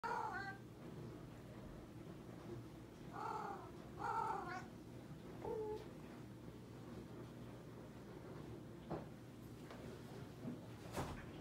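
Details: Domestic cat, clingy and social in the late evening, trilling and meowing: a handful of short, soft, harmonic chirps and meows near the start and between three and six seconds, then quiet room hum with a few light clicks.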